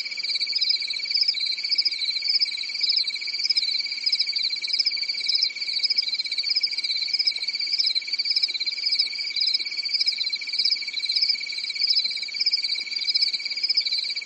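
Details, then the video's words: Calm European summer night in the forest, filled with a ringing, high-pitched cricket chorus. The rapid chirps merge into a steady throbbing trill that repeats in short, even waves. "Grillen zirpen in der Nacht"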